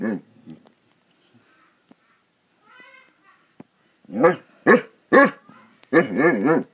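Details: Basset Hounds playing; a few faint sounds and a short quiet stretch, then a cluster of loud, deep barks and a longer wavering bay near the end.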